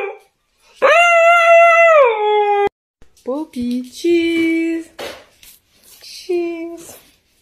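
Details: Dog in a funny pet compilation, giving a long, steady, sustained howl that drops in pitch at the end, followed by shorter broken howling notes mixed with human voices.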